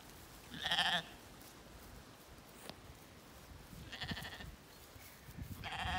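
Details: Jet black Zwartbles lambs and hoggets in an evening field on a County Kilkenny farm, Ireland, while swallows feed overhead. A loud bleat opens, a softer bleat follows near the middle, and a third begins at the end. Quiet outdoor air fills the gaps.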